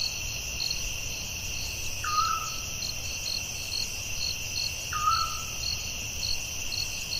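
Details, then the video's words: Night chorus of forest crickets, a continuous high ringing buzz with soft rhythmic chirps, interrupted twice, about three seconds apart, by a lower descending whistled call from another creature. "Soothing Cricket🦗 Sounds at Night"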